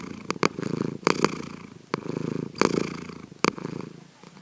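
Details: Sankichi, a pet cat, snoring while asleep, secretly recorded at home: a low, rough, fluttering rumble that swells and fades with each breath, roughly once a second, broken by several sharp clicks.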